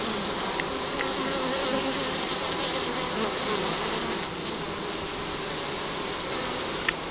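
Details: Honey bees humming at their hive in spring, compact-camera recording: a thick, constant buzz of many insects with low tonal bands, a brief dip in loudness midway, and scattered soft clicks.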